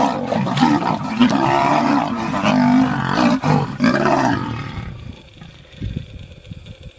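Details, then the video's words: Lioness fighting to protect her cubs from nomadic male lions: a sustained, loud, harmonic growling roar lasting about four seconds with rising and falling snarls, then fading to quiet low rumble. "Lioness desperately trying to protect her cubs, against nomadic male lions"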